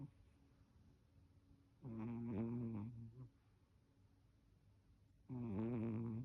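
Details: Jiji, a pet Chihuahua, snores very loudly in cold weather: two long, rattling, buzzy snores with a wavering tone, separated by quiet pauses, in a small quiet room.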